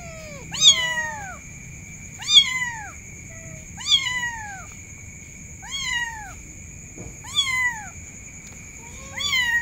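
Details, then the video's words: Kitten calling for its mother: six high, thin meows, each rising then falling, spaced about every one and a half seconds, over two steady electronic tones and faint low background hum. "suara anak kucing memanggil Induknya"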